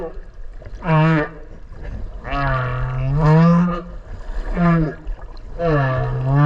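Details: Whale calling underwater near a swimmer in the sea off Okinawa: four deep moaning groans with dense harmonics, each about a second long, some swelling upward, over constant low water noise.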